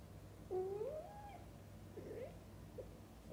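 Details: Indoors, a mother cat tends her kittens, feeding and bathing them. One lower, drawn-out meow rises and then levels off, followed by two soft, brief chirping sounds. A faint hum continues underneath.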